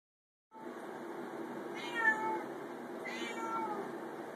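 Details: Female pet cat shut in a bathroom, aware she is about to be bathed, gives two drawn-out harmonic meows about a second apart over a steady background hiss.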